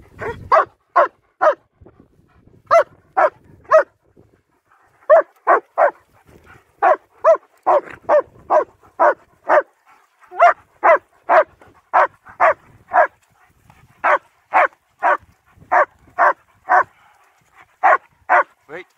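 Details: Winter walk in Hawick, Scotland with German Shepherds Nico and Zeeva, recorded on an S23 Ultra: a long run of loud, clipped barks in quick bursts of two to four, over thirty in all, with quiet gaps between.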